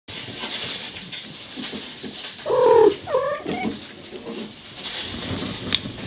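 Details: Mother cat talking to her young kittens, giving a short burst of chirping, chirrup-like calls in the middle: a louder bent call then three or four quicker ones, with quiet background hiss before and after.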